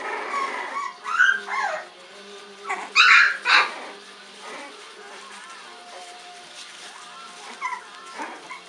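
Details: Olde English Bulldogge puppy named Bocephus working up a sneeze: short breathy snorts build up early on, then two sharp, noisy sneeze bursts close together around three seconds, with faint tonal whines or voice-like sounds at the start and near the end.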